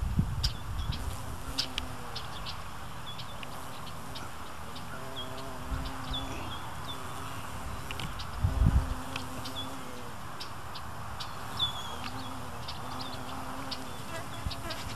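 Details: Carpenter bee robbing nectar from foxglove beard-tongue (Penstemon) blossoms in Marion, Ohio, USA, by slicing a hole in the corolla base; low droning buzz comes in bursts of a few seconds, with scattered high bird chirps and soft outdoor rumble.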